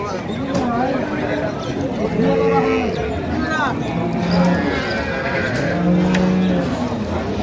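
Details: Dinajpur's Ambari haat on 5 December 2025, a cow and calf on sale: two separate arched moos, each rising then dipping over about a second, sounded several seconds apart. Steady crowd talk and bargaining fill the background.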